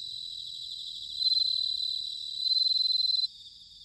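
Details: Autumn bell cricket song recorded at Sanuki in Chiba, Japan: high, ringing pulsed trills swelling into two louder phrases about a second long over a soft background chorus of other crickets, then cutting back abruptly.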